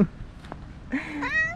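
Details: Stray park cat being petted, with other cats approaching; a soft sound near the start, then a clear rising meow that swells and holds over the last second, over faint low rumble.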